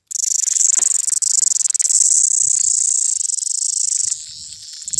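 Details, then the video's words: Mountain cicada calling outdoors in nature: a loud, shrill, continuous high buzz made of rapid pulses, holding steady for about four seconds, then dropping away to a softer hiss, with faint low rustles underneath. "Cicada Nature Sound | Montain Cicada Sound"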